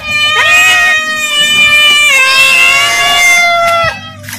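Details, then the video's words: Hungry house cat asking for food with long, insistent meows that rise at the start and hold a steady pitch for over a second each, with a low background hum. "Suara Kucing Memanggil / minta makan"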